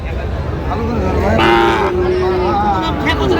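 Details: Sahiwal bull calf lowing at a cattle market in Chattogram, Bangladesh, on 29 January: one long, steady, slightly falling moo lasting about two seconds, with crowd chatter and men bargaining around it.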